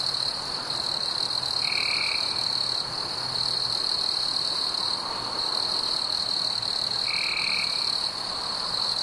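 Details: Warm summer evening crickets chirping amid fireflies: an incessant high, metallic trill that never pauses. Two brief, lower buzzy bursts come roughly five seconds apart.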